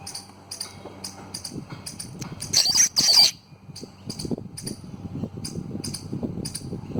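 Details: Squirrel. Sharp, high-pitched chips from a squirrel repeat about twice a second in a steady, slightly uneven series. Midway comes a louder, rasping burst, over faint low rumbling in the background.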